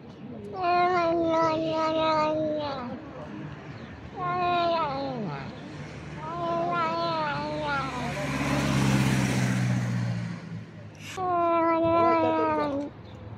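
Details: House cat giving eating noises: a series of wavering, harmonic mewing calls in bursts, interrupted midway by a loud broad hiss-like rush of noise, then another clear warbled call.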